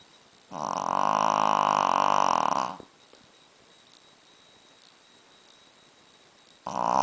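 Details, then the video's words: Sophie the Shih Tzu snoring in her sleep, one loud drawn-out rattling snore of about two seconds, a long silence, then the next snore starting at the end. "Sophie the Snoring Shih-Tzu"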